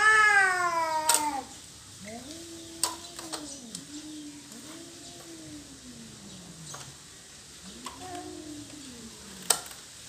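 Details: Territorial cat fight: a fading high wail opens, followed by a series of low arched moaning growls, each rising and falling, separated by pauses and punctuated by sharp clicks.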